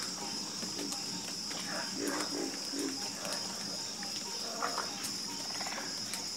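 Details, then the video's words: Frogs croaking in chorus: irregular bursts of low, grating croaks from several animals, some clustered in quick runs, set against an unbroken high-pitched insect drone. "Calming Sound Of Harmonious Frog Croaking"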